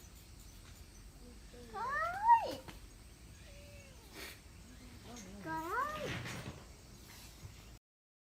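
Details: Thin, newly rescued kitten, found abandoned in a rubbish bin in Japan in September, on its first day in care and hungry, gives repeated rising-falling harmonic meows around 1.7 to 2.5 seconds and 5.3 to 6.2 seconds, with quiet speech nearby.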